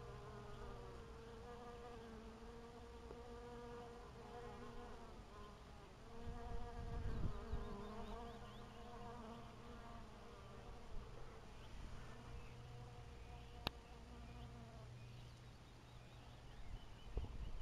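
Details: Honey bees at an apiary in 2012 make a continuous, rich, reedy buzzing drone with strong overtones that rises and falls slightly in loudness, and a single sharp click near the end.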